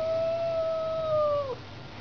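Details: Yowling cat during a face-off between a house cat and a street cat: one steady, drawn-out tonal wail of about one and a half seconds that dips slightly at its close, with faint room noise.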